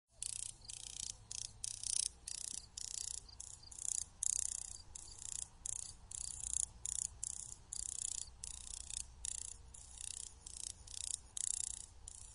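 Dry, hissing bursts of clicks come from a grasshopper's wings, each lasting a fraction of a second. The bursts follow one another in a fast, irregular rhythm over a faint low hum.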